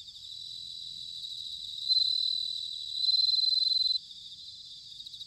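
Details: Bell cricket in autumn at Sanuki, Chiba, Japan, giving two bright, high, pulsed ringing bursts, the second longer at about one second, above a constant faint chorus of more distant trilling insects.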